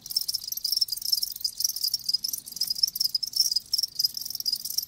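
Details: Live crickets producing a bright, high, rapidly pulsed chirping chorus that rises and falls slightly in loudness over a few seconds.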